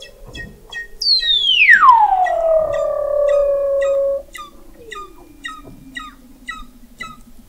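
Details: Weddell seals beneath sea ice in McMurdo Sound, Antarctica, recorded November 2017 by the McMurdo Oceanographic Observatory 21 m down: a loud sweeping whistle gliding from high to low then holding steady, over a rapid train of regular clicking pulses.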